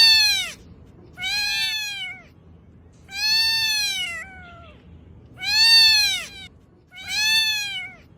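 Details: Domestic cat giving a string of five drawn-out meows, each a bright tonal cry that bends up then falls, roughly one every one and a half seconds, with only faint low room noise between them.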